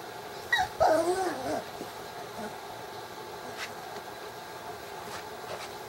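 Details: Six-week-old puppies indoors in a small room: a brief burst of high, wavering whimpering yips lasting about a second, then quiet room noise with a few faint distant squeaks.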